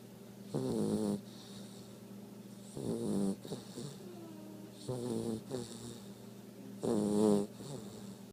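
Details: Two-month-old blue Great Dane puppy taking a morning nap, snoring in four rattling breaths spaced unevenly over eight seconds, with quieter breathing between them.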